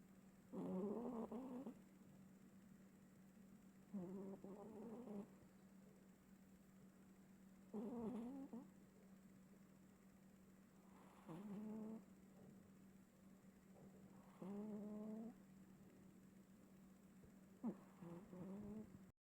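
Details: Komaru the cat snoring loudly while asleep, louder than usual; rasping, harmonic-rich snores about a second long, repeating roughly every three to four seconds, with a steady low electrical hum underneath.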